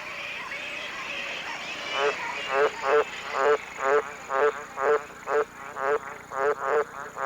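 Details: Green tree frog in Australia's tropical north at the height of the wet season, giving its mating call: a series of short, pulsing croaks repeated about twice a second, over a steady background hiss.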